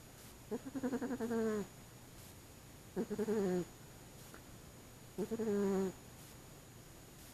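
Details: A 25-pound fat male house cat sleeping during the day, snoring loudly: three tonal, nasal, harmonic snores about a second long, repeating roughly every two and a half seconds, with quiet pauses between.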